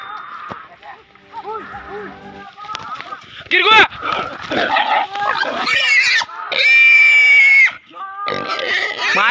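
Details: Wild boar being caught, giving loud, tonal squeals that rise and hold in harsh bursts, mixed with grunting noises, human speech and faint music in the background.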